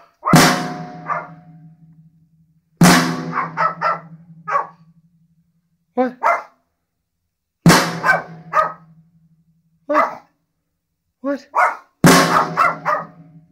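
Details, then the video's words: Dog named Rocky barking at drums: loud crashing cymbal and drum hits every few seconds, each followed by clusters of short sharp barks, two to four in a row, with a person urging the dog on. "Dog barks at drums once again"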